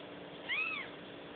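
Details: Newborn kitten giving one short, thin, high meow that rises then falls, lasting about a third of a second, over a steady low background hiss.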